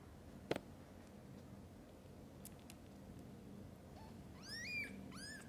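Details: Domestic cats, a mother with her kittens: after a sharp click and a long quiet stretch, a short run of high, rising, harmonic mews comes near the end, one mew drawn out longer than the rest.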